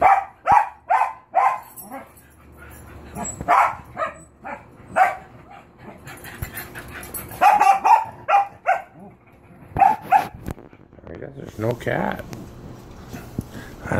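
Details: Cocker Spaniels giving rapid clusters of high, sharp barks and yips, uneven in rhythm with short lulls, while a person talks and calls to them in the background.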